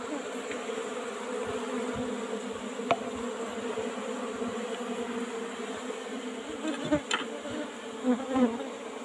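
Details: Apis cerana hive being harvested for honey in a traditional old box. An even, sustained hum of the bees fills the clip, with scattered light clicks and taps from work on the combs.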